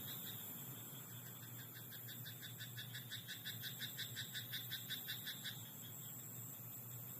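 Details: Rice-paddy frog at night giving a run of quick, clicking croaks, close to three each second for about five seconds, then fading out, against a continuous low background hum.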